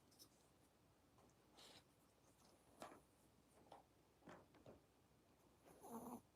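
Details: A Chihuahua in an old country house on an island in Japan snores during a quiet moment, with breathy, rasping snorts at uneven intervals of about a second, likened to an old man's snore. The last snort is the loudest, with a rough nasal buzz.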